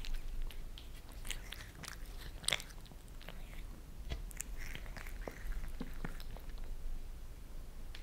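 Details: Two pet cats, Lissy the Maine Coon and Fritz the British Shorthair, lick favourite creamy treats off a glass table indoors: quick wet clicks and soft smacks come in uneven bursts, with a few sharper taps near the middle.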